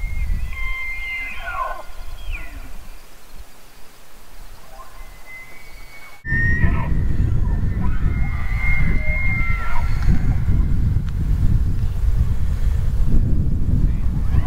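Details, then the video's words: Elk bugle in two parts: high whistled notes with sliding squeals, a sudden cut, then further sustained whistling over much louder, gusty low wind noise. "Elk Bugling"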